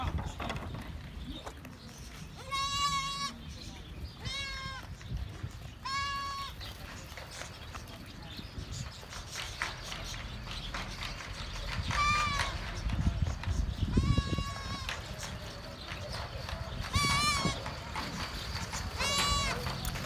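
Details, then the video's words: Young goats playing and jumping outside a goat farm in Karachi, Pakistan, around Bakra Eid; about seven loud, wavering bleats come at irregular intervals of one to three seconds, with low rumbling background noise and some human voices. "Cute Baby Goats Playing, Jumping & Having Fun Outside the Goat Farm"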